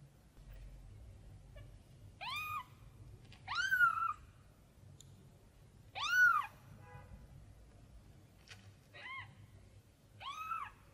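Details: Tiny kitten crying out while looking for its mother cat: five high arched meows, each rising then falling, spaced irregularly over eleven seconds with quiet low background hum between calls.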